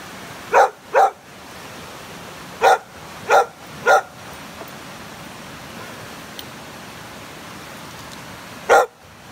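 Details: Rescued pit bulls kept together for socialization, rehabilitation or end-of-life care, many formerly dog aggressive, while Angel, Blu and Ramsey trade affectionate licks: six short, sharp barks in two bursts, then a lone bark near the end.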